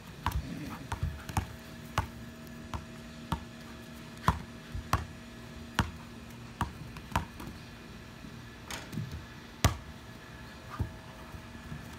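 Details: Indoor room with repeated sharp thuds and taps, like a ball bouncing, over a steady electrical hum.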